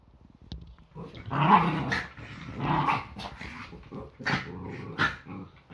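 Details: Yorkshire Terrier growling while play fighting on an ordinary Sunday morning, a daily round of fights before breakfast. Rough, rasping growls swell from about one to three seconds, then shorter snarling bursts follow with light scuffling clicks.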